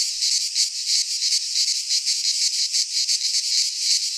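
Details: High rasping buzz of cicadas singing in a Greek pine forest in midsummer, pulsing rapidly and rhythmically without pause, the only sound present.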